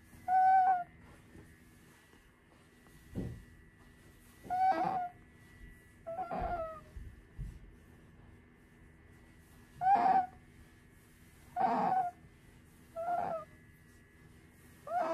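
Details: Pet female otter settling down for a nap indoors, crying a lot: short tonal cries with bright overtones, seven bursts spaced one to two seconds apart, over a steady room hum.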